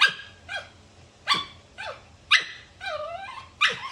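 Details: Dog barking in short sharp bursts, about one every second, some barks with a falling whine-like tail and one longer drawn-out yelp near the end; no other clear sounds.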